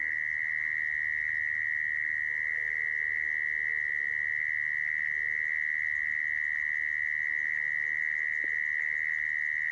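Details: Lure call of a mole cricket, played to trap crickets, sounding as a continuous shrill buzzing trill at constant pitch for the whole stretch, with a soft click near the end and low background hum.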